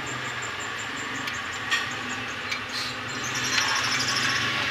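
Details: Steady broadband outdoor noise with a low hum and a few sharp clicks and knocks, no animal voice.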